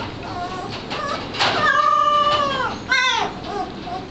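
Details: Bloodhound puppy learning to bay, recorded in 2009: short whining notes, then a drawn-out harmonic wail lasting about a second that falls slightly at the end, followed by a brief rising yelp and a softer whimper.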